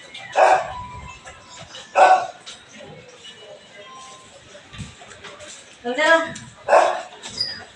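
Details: Belgian Malinois in the morning during cleaning, giving three short, loud barks spaced about one to four seconds apart, with quieter murmuring and background clatter between them.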